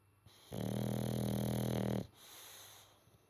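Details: A sleeping boxer pup named Chloe gives one long, droning snore of about a second and a half, low and buzzy with a steady hum, then fades into soft breathing.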